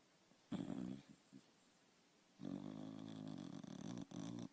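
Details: Dog snoring in its sleep; one short raspy snore, then a long drawn-out buzzy rumbling snore lasting nearly two seconds, broken briefly near the end.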